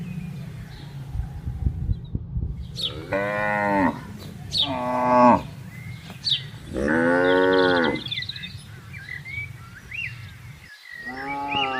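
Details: Cattle roaming and grazing on a wide pasture during herding; three long, deep, harmonic moos, each about a second long, rising then falling, with a fourth starting at the end; faint bird chirps in the background.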